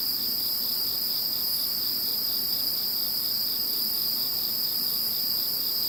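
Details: With Typhoon No. 21 gone, insects fill the night with a steady high-pitched chorus of layered ringing trills and a softer, rapidly pulsing chirp beneath, even in volume throughout.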